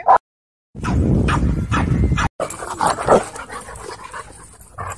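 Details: Dogfight at a dog park, aggressive dogs scuffling: dense rumbling growls and snarls in several abrupt bursts, split by brief silent cuts, with a few yelps and faint voices near the end.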